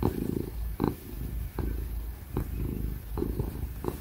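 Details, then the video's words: Happy ginger cat named Tig purring as it is petted, a dense low rumble rising and falling with each breath about every 0.8 seconds, brief bright clicks between cycles and a laptop fan faintly humming. "Ginger cat purring ASMR | Real & loud purring ginger cat sound"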